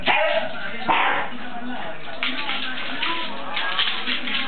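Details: Scottish Terrier barking while threatened by a flashlight: sharp, harsh barks burst out at the start and recur at irregular intervals of roughly a second, over a steady background of human talking.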